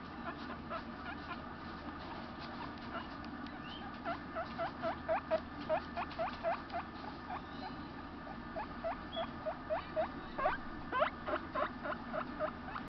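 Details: A calm, domestically bred baby male crested guinea pig, born May 18, gives a rapid series of short, rising squeaky wheeks over a steady low hum.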